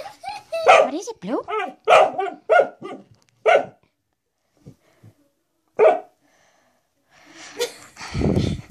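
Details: Pet dog indoors barking at a door stop it seems to see as a threat: short, sharp barks in a quick run, then a few isolated barks, with people talking and asking what it is.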